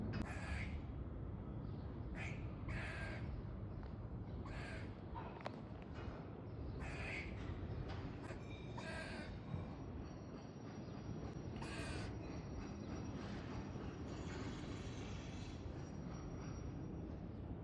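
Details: A squirrel makes harsh, raspy warning barks every second or two while sniffing a peanut.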